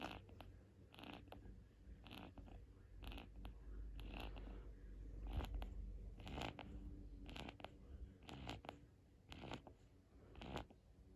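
A Boston Terrier puppy snores in quick, raspy snuffles, roughly one breath each second.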